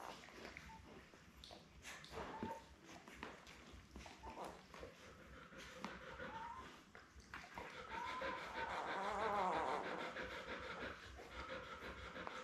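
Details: Seven Labrador Retriever puppies born May 24, 2021, with their mother Belle on a live camera on June 4: scattered rustles and short squeaks, then a rising run of wavering, high-pitched whimpers and whines, with breathing sounds underneath.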